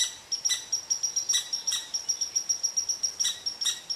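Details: Red squirrel upset with an Eastern Cottontail resting under its favored tree. Quick, evenly spaced thin high pips mix with a few louder harsh chucks.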